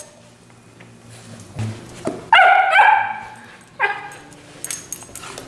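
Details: Willow, a female Chesapeake Bay Retriever puppy, gives a short burst of sharp, high barks and yips around feeding time, then falls quiet before a final brief yelp.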